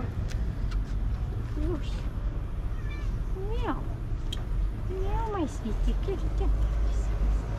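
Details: A cat with white paws under an olive tree offers several soft, arching meows, each a quick rise and fall, mixed with gentle human talk and a constant low hum.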